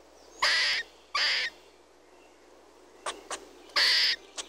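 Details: Red squirrel giving three grating, rasping bursts, each under half a second, interspersed with short sharp clicks and ticks; no other animals or noise stand out.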